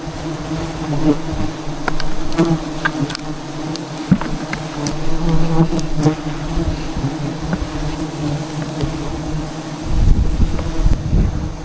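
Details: Wild forest bees in Cambodia disturbed during a traditional honey harvest from a tree nest; a continuous deep humming drone with sharp taps and knocks throughout and a louder rustle near the end.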